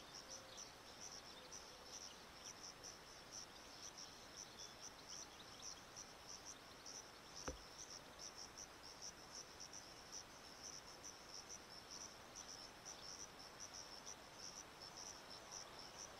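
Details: Chorus of Sciobia cf. caliendrum crickets at Zahara, Andalucia, Spain, on 17 May 2014: a steady, high, shimmering band of rapid pulsed trilling that runs throughout, with one sharp click midway.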